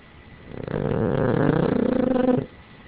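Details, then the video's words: Boston Terrier snoring while asleep and dreaming indoors: one long, rumbling, low-pitched snore of nearly two seconds with a steady buzzy flutter, fading back into quiet breathing. "My Boston Terrier Snoring and Dreaming"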